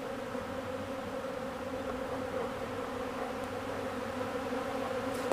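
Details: Honeybees at old comb produce an even, unbroken hum of many wings, fairly soft and constant from start to finish.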